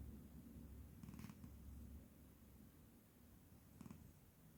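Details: Scottish cat asleep in a room gives a deep, rapidly pulsing rumble of snoring breaths, with two short higher-pitched scratchy noises near the first and fourth seconds.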